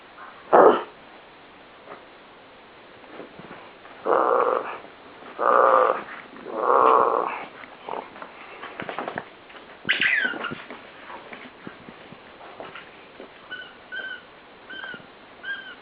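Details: A ten-year-old pet dog that still acts like a puppy gives a sharp bark, then three gruff, growly barks about a second apart. Faint high squeaks follow near the end.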